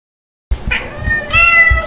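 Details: Playful kittens Stuart, a white Dalmatian-spotted kitten, and Lunar, a black kitten, filmed 3 to 8 July 2022; after a soft rustle, one short harmonic meow rises near the end, with faint knocks underneath.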